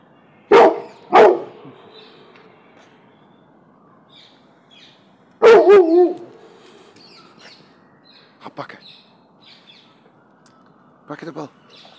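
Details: Frightened Cane Corso mix dog facing a balloon it fears. Two sharp barks in quick succession, then a longer, drawn-out bark sliding downward. Faint scattered knocks and small noises follow.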